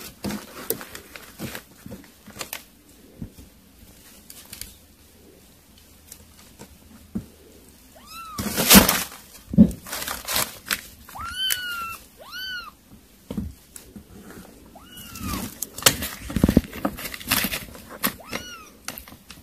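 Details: Kittens eating weaning food, indoors, give about five short arched meows, each rising then falling with clear overtones, spaced irregularly across the second half amid feeding clatter, soft knocks and bumps.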